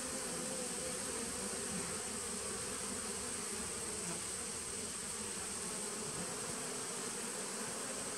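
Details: Honey bees at a nucleus colony hive, recorded 19 September 2018; dense steady droning buzz of many bees, continuous and even, with a constant high hiss above.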